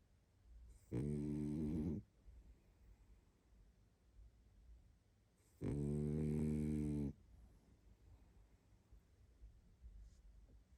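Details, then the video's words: Pug Barney, exhausted and fast asleep, lets out two long, low rattling snores about five seconds apart, separated by soft quiet breathing. "Мопс спит и храпит😴Уставший Барни"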